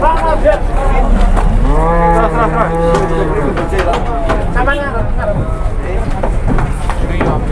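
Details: A large cow rampaging as it is unloaded from a truck gives a long, deep, droning moo lasting about two seconds, followed by shorter rising and falling lowing, with people talking and shouting nearby throughout.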